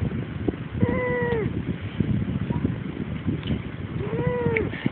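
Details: Shonga-shonga, a one-year-old female cat, meows twice about three seconds apart. Each call is a short, even, slightly arched tone that trails off, set against low room rumble and quiet chatter in Tagalog.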